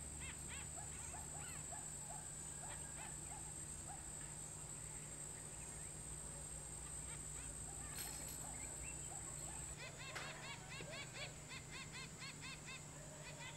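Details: Chacma baboon troop socialising with an infant in southern Africa, short repeated high chirping and grunting calls scattered throughout, over a steady background hum and high insect-like whine.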